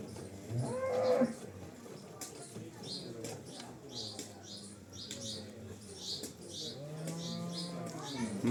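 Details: Cholistani Jersey cross cow in Pakistan, offered for sale, March 12, 2025: a loud harmonic moo early on, then a longer, lower drawn-out moo toward the end, with faint human voices and repeated high bird chirps behind.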